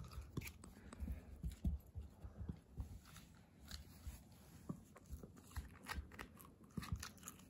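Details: Hana, a female Kooikerhondje puppy born May 30, 2021, kept indoors in Japan, eats a new snack: irregular crunchy bites and chewing clicks indoors, with a person speaking quietly nearby.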